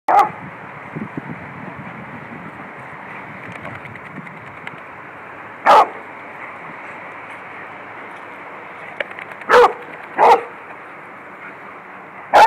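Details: Beagle barking while playing with a Lab as the dogs run around in a yard; a few short, sharp barks scattered across the recording over a steady muffled hiss.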